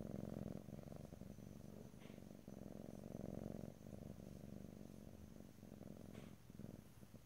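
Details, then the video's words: Close stereo recording of a pet cat purring, with no talking. A deep, buzzing rumble rises and falls with each breath, strong at first, softening briefly around the fourth second, with occasional small clicks. "ASMR Cat: Purring"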